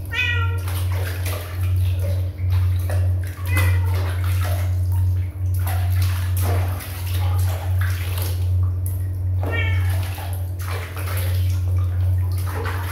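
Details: Kitten mewing in short harmonic calls, one at the very start and others near the middle and later, each high and thin, over a steady loud low hum with rustling and clatter throughout.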